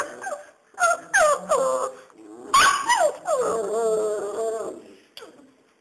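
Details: Bandog puppies, a Serbian Mastiff and German Boxer cross aged five weeks, whimper and yip: short falling squeals repeated about three times a second, then a longer drawn-out whine ending in a final sharp yip.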